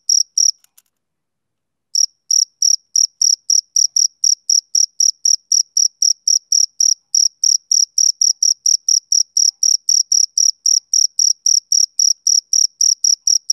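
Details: Summer-evening chirping of a male cricket: a brief burst, a pause of over a second, then a long, steady run of bright, high chirps at roughly four a second.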